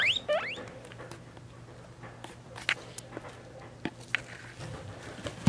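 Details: Three-week-old guinea pig babies with their mother, weighed and sharing their last days together: two quick upward-sweeping squeaks at the start, then scattered soft clicks and patter over a steady low hum.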